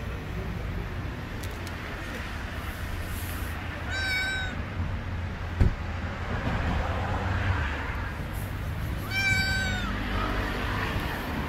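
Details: ['Stray cat living on the street, meowing loudly as if wanting to tell something; two drawn-out harmonic meows several seconds apart over steady low traffic-like rumble.']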